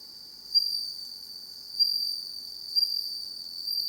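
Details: Home-raised bell crickets singing in darkness: a continuous high, thin ringing tone with a fainter overtone above, swelling into brief louder bursts roughly every second, then settling back to a steady shimmer.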